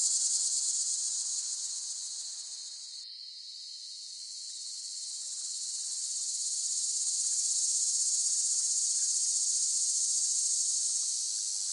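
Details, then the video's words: Cicada chorus in a high, hissing drone that briefly breaks and softens near the start, then swells back to a strong, even buzz. "เสียงจักจั่น ฟังเพื่อผ่อนคลาย (Cicada Sound Effects)【セミの声】"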